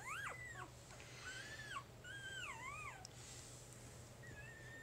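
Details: Puppy from Jig's litter at three days old giving thin, wavering squeals that swoop up and down, several in quick succession, then a softer short whine near the end; faint low hum underneath.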